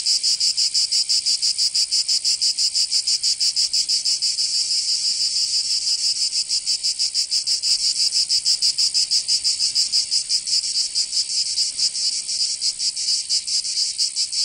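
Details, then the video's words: In southern France's Provence, cicadas fill a summer soundscape with an unbroken, harsh high buzz, rapidly pulsing and steady in loudness throughout, with nothing else audible. "Canto Cigarra 🦗 [ Escuchar les cigarras en verano 10 H]"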